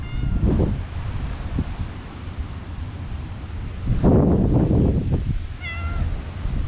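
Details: Friendly stray cat in a park, winding around the legs of the GoPro HERO8 filmer, gives two clear, tonal meows, one at the start and one near the end, with wind buffeting and shuffling footsteps between them.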